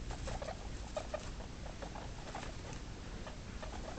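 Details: Guinea pig pups just two days old give brief, thin squeaks in an uneven patter, several per second, against a constant hiss.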